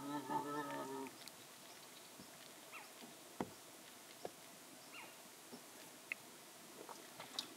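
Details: A young striped hyena (Hyaena hyaena) calling at dusk, possibly to its mother (uncertain), gives a brief, rich, tonal whine lasting about a second, then falls quiet.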